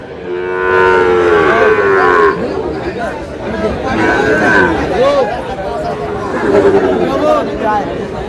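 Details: Sahiwal bull calves at a livestock market during sale to a Dhaka farmer: a strong, harmonic moo fills the first two seconds, then scattered shorter calls mix with loud overlapping speech and crowd noise.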